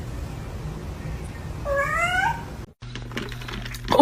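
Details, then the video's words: Kitten meowing: one clear rising-then-level cry lasting under a second over a steady low hum, then a brief cut and clattering noise. "kitten meowing crying"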